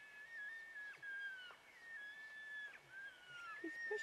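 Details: Bull elk in the rut, wrestling at close range. A high, whistled bugle holds a steady pitch in several long drawn segments across four seconds, with a faint higher overtone and a few low grunting notes near the end.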